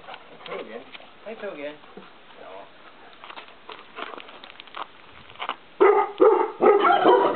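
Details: Maremma Sheepdog indoors, barking in a few loud harsh bursts near the end, after a stretch of quiet human talk and faint rustling.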